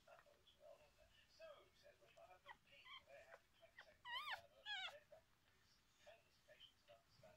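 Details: Four-day-old liver Miniature Schnauzer puppies, a litter of five with their mother, mew and squeak faintly and often with overlapping thin cries; midway, two louder whines waver up and down before quiet squeaking resumes.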